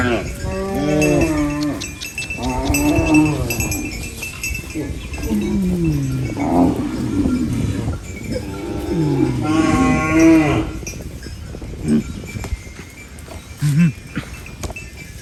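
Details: Cow feeding on banana leaves moos repeatedly: several deep, wavering lows in the first half, a longer rising-then-falling moo around the tenth second, then quieter rustling and thumps.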